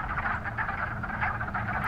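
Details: A dense chorus of male wood frogs (Lithobates sylvaticus), floating at the surface of a temporary woodland pond in March, early spring, in Northern Virginia, gives overlapping, duck-like clucking croaks that never pause while calling to attract females.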